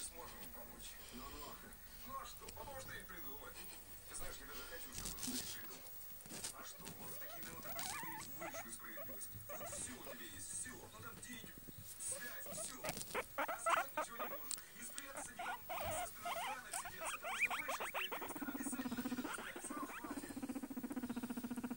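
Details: A cheerful guinea pig gives short squeaks and chirps among rustling and clicking, with some human voices.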